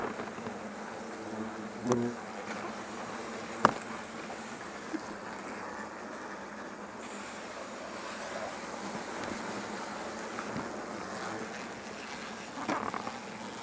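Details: European hornets collected in an insect net during removal of a large nest built in a rest hut at a facility in Azuchi, Omihachiman, Shiga, Japan; dense continuous buzzing, with a few sharp clicks and knocks.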